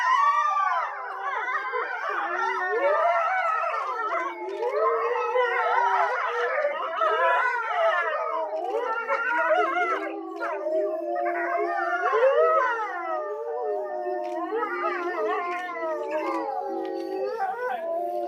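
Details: A group of grey wolves in a Japanese zoo, Tama Zoo, chorus around 3 pm. Their many overlapping howls rise and fall with quavering glides, and a few higher yips appear. Toward the end the chorus settles into steadier, lower tones.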